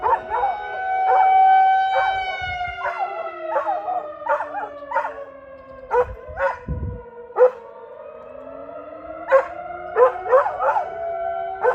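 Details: Brody the dog barks and howls at a tornado siren, rapid clustered barks and yelping howl fragments layered over the loud, long siren tones that swell and fade.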